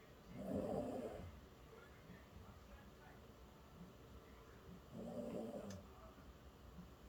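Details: Sleeping poodle Bonggu, tired after a walk, lets out two breathy, rasping snores about four seconds apart, each lasting roughly a second, with near silence between them.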